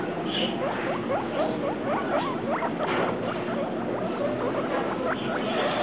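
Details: Pet guinea pigs Travis and Shane, noted as two weeks and three days, make a run of brief, fainter squeaky chirps in quick succession, partly buried under constant broadband hiss.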